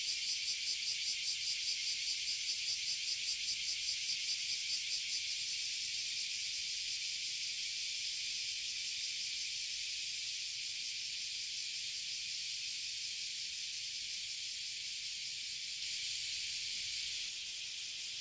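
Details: Oily Cicadas (Abura Zemi) and Bear Cicadas (Kuma Zemi) fill a tree in Toyohashi City, Japan, producing a loud, high, hissing buzz; the first five seconds pulse rapidly, about two or three beats per second, before settling into a steady, unbroken drone.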